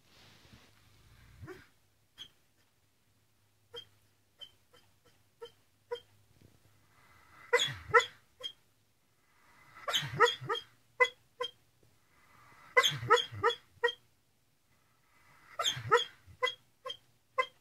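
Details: Greyhound lying in the cockroach position, legs moving as if running, giving barks: soft isolated yips at first, then bursts of several sharp harmonic barks and whimpers in clusters about every two and a half seconds, indoors and quiet otherwise.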